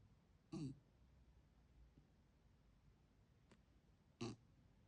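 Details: Jindo mix dog snoring, worn out after a hard day of playing with its big sister: two short, low, rough snorting snores roughly three and a half seconds apart, with a quiet room between them.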